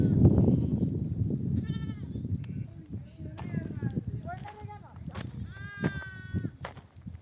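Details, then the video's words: Mother sheep of a nomadic flock, back from desert pasture, bleat to call their lambs to nurse; several wavering, harmonic bleats from different animals come every second or two over low rumbling and a human voice. "The sound of mother sheep returning from the pasture to breastfeed her babies"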